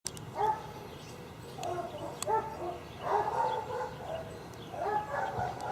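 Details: Tied-up dogs barking beside a dump: clusters of distant barks come in irregular groups, with a steady background hiss and a few sharp clicks.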